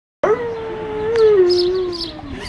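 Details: Dog howling with a man in Bovec, Slovenia: a single long, steady tonal howl that starts abruptly, holds level, then slowly sinks in pitch over about two seconds.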